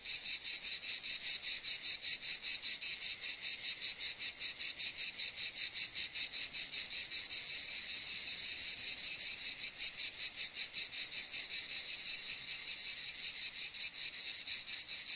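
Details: Long stretch of cicada calling, an intense high-pitched electric buzz beating in rapid regular pulses without pause, nothing else audible.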